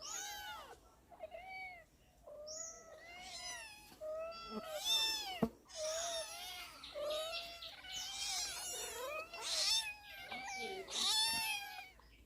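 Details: Four domestic cats meow over one another at feeding time in rising and falling, drawn-out cries.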